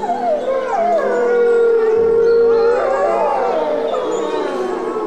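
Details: A group of white gray wolves in a wildlife park howl together, long drawn-out tones sliding down and holding steady.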